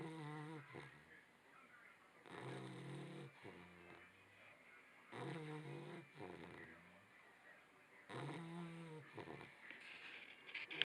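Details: A Labrador Retriever puppy snores while asleep, giving slow, throaty, rattling breaths about a second long, spaced roughly every three seconds, over a steady faint hiss.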